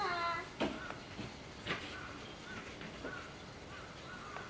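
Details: Baby common squirrel monkey and its mother in a Japanese zoo enclosure at Tobu Zoo: brief high peeping chirps repeated irregularly about every half second, after a louder opening sound and sharp knocks, with background voices.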